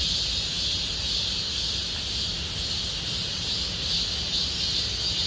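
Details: Cicadas singing in Gomsol Nuri Forest, Siwha district, in deepening summer: a dense, steady high buzzing drone with a pulsing shimmer, continuous throughout without pause.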